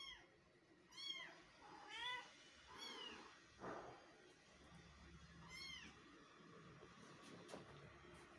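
A Persian cat gives a series of short, high, arching meows about once a second.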